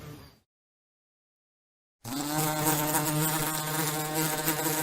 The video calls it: Bee sounds , bee noises , buzzing bee sound effect without copyright